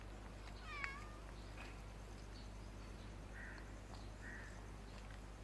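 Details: Unwell-seeming street cat of an unusual breed, being fed outdoors, gives one short harmonic meow, then a few faint, brief rasping sounds over steady low traffic rumble.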